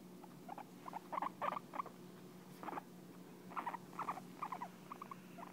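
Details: Pet guinea pig licking and grooming its owner, a sign of affection; soft clusters of short squeaky chirps in bursts of three to five, with gaps between groups, over a steady low hum.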